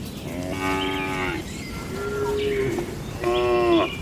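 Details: Tame cattle in a peaceful farm barn: three separate moos, the first and last loud and rich in overtones, the middle one a softer, thinner drawn-out call, over low steady background noise.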